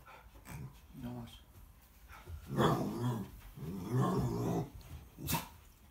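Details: American Akita puppy facing off against a pig, giving low rumbling growls in two long bursts near the middle, with a human voice talking in the background.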